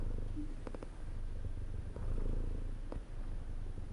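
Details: Contented house cat purring, a deep continuous rumble with gentle breath-paced swells and a couple of small clicking sounds over four seconds.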